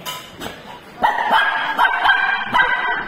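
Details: Teddy, a pet shih tzu, barking indoors while wanting chicken; a burst of short, sharp, repeated yips and barks follows a quieter start, as a woman repeats 'chicken' in Tamil nearby.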